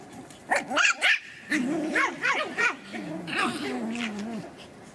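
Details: Pomeranian puppies aged three months at a Kyiv kennel, Ukraine, giving three sharp yips, then several rising-falling whimpers that trail into a long, wavering whine.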